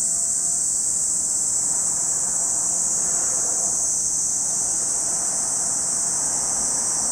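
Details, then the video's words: Cicadas at Lake Kamo in Sado City, Niigata Prefecture, Japan: a steady, dense high-pitched shrill drone holds without a break throughout, with a faint low background rumble beneath. "Lake Kamo in Sado City, Niigata Prefecture, Japan, where you can hear the voice of cicadas."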